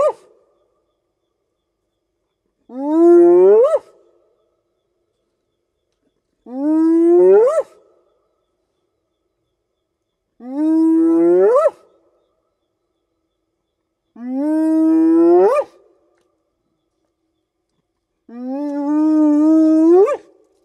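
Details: Spotted hyena whooping at night in the African bush, calling over long distances to keep in touch with clan members; five separate drawn-out whoops about four seconds apart, each starting low and sweeping upward at the end, with near-silent background.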